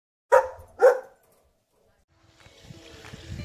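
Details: Female pet dog playing catch with her owner gives two quick, sharp barks in succession, followed by a pause and then soft rustling and handling noise.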